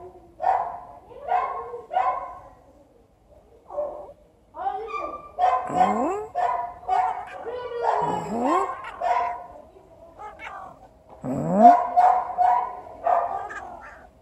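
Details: Cats in heat, a male cat waiting his turn among them: bursts of wailing, moaning yowls, some with steep upward pitch sweeps, coming in uneven clusters with short quiet gaps between.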